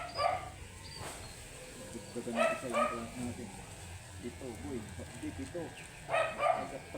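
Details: Matted Shih Tzu barking angrily while being groomed: sharp, high yapping barks in three bursts, a single bark, a quick pair, then another pair near the end, with a person's voice murmuring between them.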